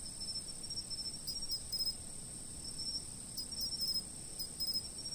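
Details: High, continuous ringing of insects recorded by a stationary camera, with short bursts of fast clicking pulses rising out of the drone every second or two and a faint low background hum.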